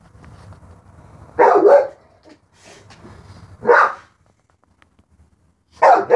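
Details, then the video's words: Dog barking at a cat outside: three loud, harsh single barks spaced about two seconds apart, with a low rumbling murmur before the first bark and quiet gaps between. "Dog barking at a cat outside"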